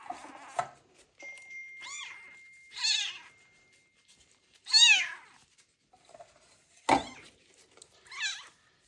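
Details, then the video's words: A kitten rescued from the street and found to have ringworm cries through its first medicated bath. Several loud meows, some short and some drawn out, come at uneven gaps, mixed with splashes, clatter and a faint steady electronic tone. "First bath for a kitten found with ringworm that was abandoned on the street / meows loudly"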